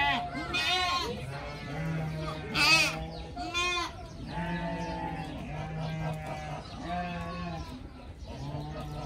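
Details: Pygmy goat kids playing, running and head-butting one another, give short wavering bleats, some high and quavering, repeated every second or two beneath steady talking.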